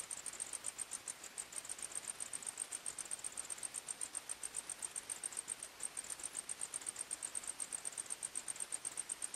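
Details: Night-time forest crickets singing: rapid, high-pitched chirps pulsing evenly several times a second, unbroken throughout, with a faint background hiss.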